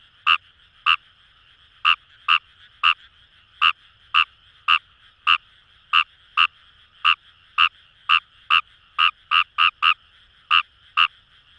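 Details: Fejervarya kawamurai, Kawamura's rice frog, in Kamo River rice paddies at Itoshima, Fukuoka Prefecture, Japan. Loud clipped croaks repeat unevenly, about two a second, bunching into a quick run near the end, backed by a constant buzzing frog chorus.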